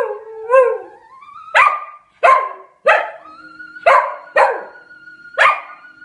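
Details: A Scottish Terrier singing along to opera: sustained, wavering howled tones that slide upward, broken by a series of sharp, loud yelping barks roughly every half second to second, with steady musical notes held underneath.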